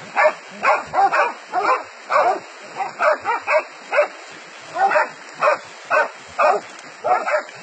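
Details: Dogs catching a wild boar, giving steady rapid barks about twice per second in short harsh bursts, several overlapping, with a faint high hiss behind them.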